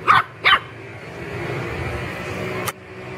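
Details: Pet puppies at play in a home garden give two sharp, high yapping barks in quick succession near the start, then a single click-like knock later over a low background hum.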